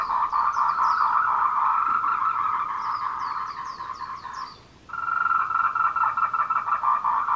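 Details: Courting tree frogs on the Meiling Wulong Trail in Nanxi, Tainan, Taiwan, at 14:00 on 26 April 2018, recorded on a Canon PowerShot SX720HS; a steady rattling chorus with bursts of high sliding chirps, briefly dropping away near the middle before resuming.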